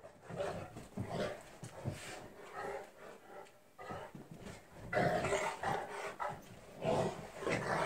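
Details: Newfoundland dogs wrestling in play, a steady stream of grumbling growls and huffs, quieter at first, then louder, harsher snarling bursts in the second half.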